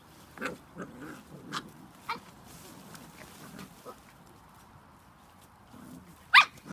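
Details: Spanish Water Dog puppies, seven weeks old, make soft grunting whines and brief yips, then one loud, sharp squeal near the end.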